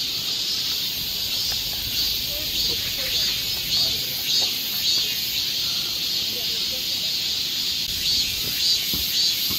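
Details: Cicada chorus on a Korean summer forest trail in Seoul, a continuous high hissing drone with gentle rhythmic pulses in loudness rippling through it.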